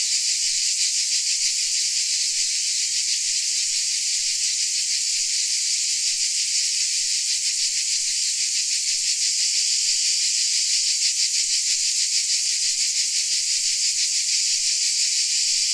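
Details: Many crickets in Dalmatia chirring together, producing a constant bright, hiss-like chorus with a subtle rapid beat at about three pulses per second and small ripples in loudness.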